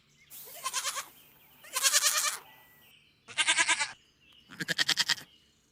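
A goat bleats four times, each call a harsh, quavering burst lasting under a second.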